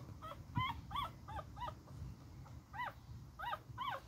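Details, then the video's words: Beagle puppy fighting, giving short high arched yips and whines in irregular bursts, several close together then a pause, with low rumbling handling noise underneath. "My little fighting beagle puppy"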